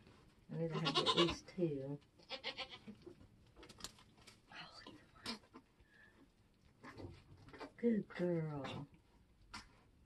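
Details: Nigerian Dwarf goat giving birth on a homestead during kidding season. Wavering, harmonic bleats come near the start and again near the end, with people talking in between.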